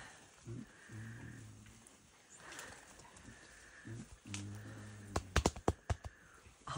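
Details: Mountain gorillas of a family group met on a May trek in Rwanda: deep, rumbling, low-pitched grunts in two bouts, then a quick run of sharp, hollow pops like chest beating, with faint voices in the background.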